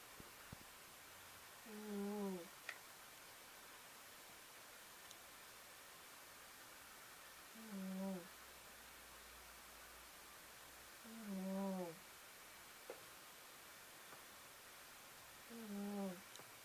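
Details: Old female black cat asleep, snoring: four low, tonal, slightly wavering snores at regular intervals of roughly four seconds, with a faint buzz on each breath and near silence between, indoors in a quiet room.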